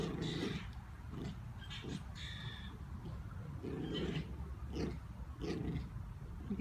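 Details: Schnauzer Luna refusing to lose a game of tug of war at home; rough, rasping growl bursts repeat about every half to two-thirds of a second, low and noisy, with faint household sounds behind.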